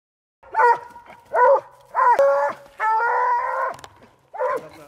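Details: Treeing Walker Coonhound on a night coon hunt, giving long bawling barks with bright harmonics, five bouts over about five seconds, one drawn out nearly a second, with a faint voice between.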